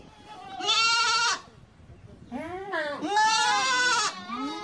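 A goat gives loud, wavering bleats with a nasal, quavering tone.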